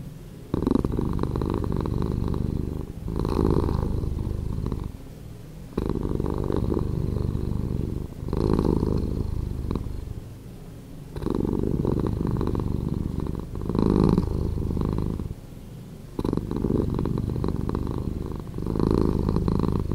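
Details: Slowed-down purring of a pet cat: a low, throbbing rumble rising and falling in regular waves roughly every two and a half seconds, each swell a little louder, otherwise quiet.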